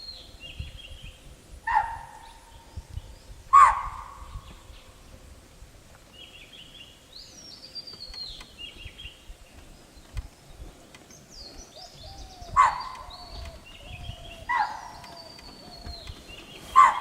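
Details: Chital (spotted deer) giving its alert call in Tipeshwar Wildlife Sanctuary, Yavatmal, Maharashtra: five loud, sharp, shrill barks at irregular intervals over about fifteen seconds, with small birds chirping and twittering between them.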